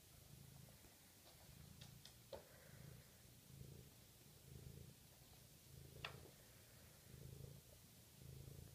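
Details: Steady deep purring from a 6-week-old Maine Coon kitten, throaty pulses swelling and fading about once a second with each breath, broken by a few soft clicks and light rustles indoors.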